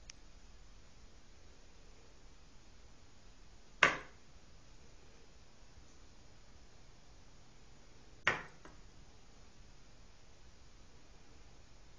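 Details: A quiet small room, broken only by two sharp snapping clicks about four seconds apart.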